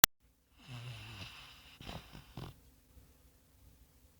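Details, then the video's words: A sand-coloured Labrador Retriever snoring while asleep, its owner likening it to a piglet: a low, rattling, buzzy snore lasting about half a second, followed by breathy, snorting rasps over the next second and a half, then quiet room tone. "Labrador Retriever Roncando Durmiendo"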